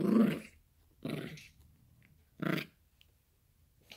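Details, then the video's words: Yorkshire Terrier puppy growling indoors while playing with a toy; three short rough growls about a second apart, each fading quickly, with quiet gaps between. "Funny yorkie growling and barking for toy"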